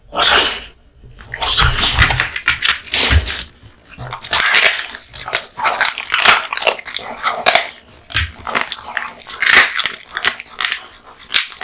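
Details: Indoors, the hearty-eating American Bully Kotetsu, male, tears through raw meat and bones; bright crackling crunches and slurping chews repeat in rapid, uneven bursts with brief pauses between mouthfuls.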